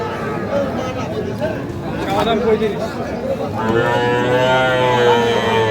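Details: Young Sahiwal calves at a cattle market in Pabna, 12/5/25: voices and market noise at first, then a long, steady, slightly rising moo that continues to the end.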